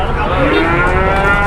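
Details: Large cattle at a crowded cattle market, lowing in a drawn-out harmonic moo that fills the whole moment, over a steady rumble of market noise.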